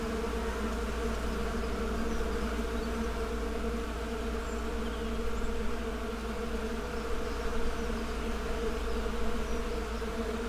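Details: Continuous hum of many buzzing bees, a thick low drone with steady layered tones and slight swells in loudness, no gaps across the whole stretch.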